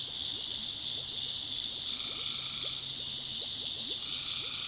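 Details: Tree frogs at night in the North Carolina backwoods form a steady high ringing chorus; a lower buzzy trill enters twice, while quick soft clicks and a low drone run below.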